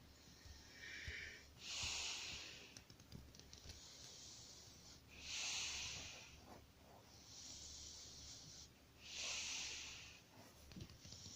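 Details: Keano, a cute little puppy, snores in his sleep: soft, airy, hissing breaths that swell and fade, repeated about every three to four seconds, with a quiet low hum underneath.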